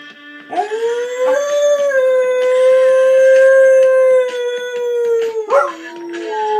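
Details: A Siberian Husky named Baron gives a sustained, tonal howl along to his favourite song, Gary Glitter's "Hey Song": rising sharply, holding level for several seconds with slight wavers, then sliding down, with rock music playing throughout.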